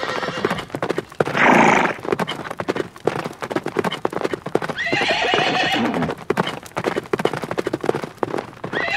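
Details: Horses outdoors in nature, neighing amid galloping: a loud harmonic whinny bursts near 1.5 s, another wavering neigh follows around 4 to 6 s, all over a steady clatter of rapid hoofbeats.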